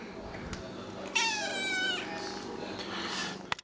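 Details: Sphynx cat, one of the pair Nathan and Pippin, during indoor play; a single clear, wavering meow lasting under a second, rising slightly then easing down, with faint room noise and a click near the end.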